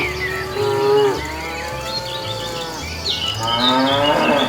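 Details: Cows walking along a road in search of food give long, overlapping moos that blend into a continuous chorus, one call sliding upward at the close, with a low pulsing beat underneath.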